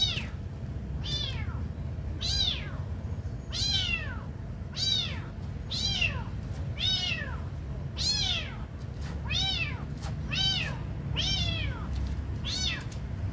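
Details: Hungry kitten being fed, meowing insistently about a dozen times, each call a brief, high, downward-curving cry, in quick steady succession with small clicks between and a low background hum.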